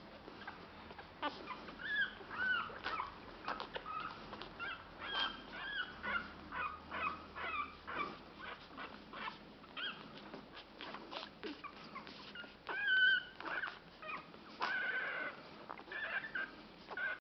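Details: Ten-day-old pug puppies, their eyes just opened, whimper and squeak in high, thin, overlapping whines.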